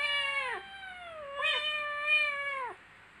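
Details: Playing kittens giving two long, clear meows, the first sagging downward at its end, the second held steady for over a second before dropping away into quiet.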